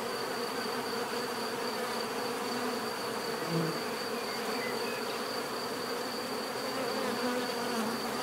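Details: Bees buzzing as a natural relaxation soundscape: a dense, steady hum of many insects with faint tonal drones layered over it and a thin high whine running throughout.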